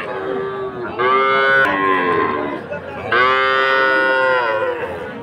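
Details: Two loud, long, harmonic-rich moos from Sahiwal breed calves at a market in Ambari, Dinajpur, on Monday 20 February. Each lasts about two seconds, separated by a brief pause, with faint market chatter behind.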